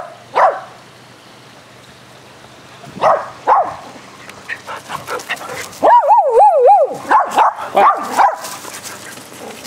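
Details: Dogs playing aggressive fetch on a spring day, with scattered barks early on, then a burst of yips and warbling whines with a wavering pitch, followed by more quick barks.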